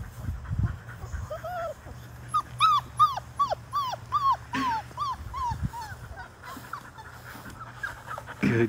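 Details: Five-week-old Labrador Retriever puppies from a litter of six, put into the water of the baby pool they were born in. A run of high, arched whimpering yelps, each bending up then down, follows quickly in sequence over low background rumble.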